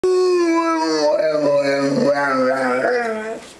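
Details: Male Rhodesian Ridgeback talking to his owner: a run of mid-pitched, harmonic, wavering moans that slide up and down in short linked syllables, then fade out near the end.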